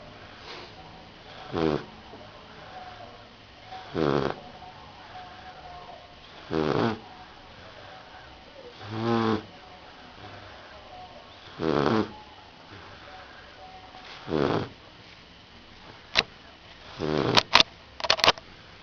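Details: Rottweiler puppy snoring in sleep, seven rasping breaths spaced around two and a half seconds apart, followed near the end by a few sharp clicks and knocks.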